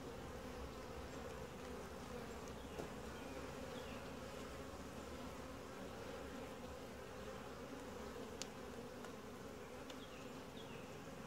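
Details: Dense, even buzzing of a calm, gentle honey bee colony opened for a routine hive inspection, the low drone holding steady throughout with a few soft taps and faint higher chirps in the background.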